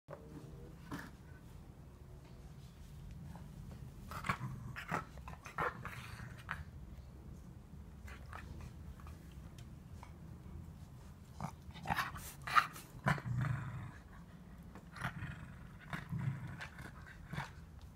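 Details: Cocker Spaniel puppy, female, playing indoors with its mother; low rumbling growls run throughout, broken by short sharp yips and scuffling bursts, loudest around the middle and toward the end, in a small room.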